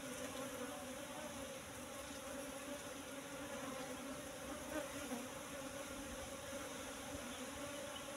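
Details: Wild Apis cerana, the Asian honey bee, buzzing at a nest found in bushes, its combs full of honey. A constant, even drone with a clear overtone runs without a break for about eight seconds.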